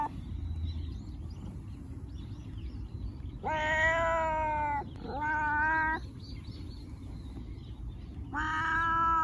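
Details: Domestic cat meowing to attract cats: two long meows close together, then a third after a pause, over faint twittering birds and low background rumble.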